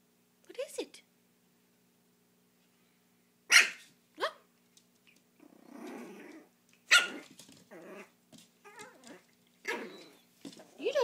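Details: A pet dog indoors barking at being filmed, sharp barks near 1, 3.5, 7 and 9.5 seconds mixed with short growly yelps, while a person speaks soothingly between barks.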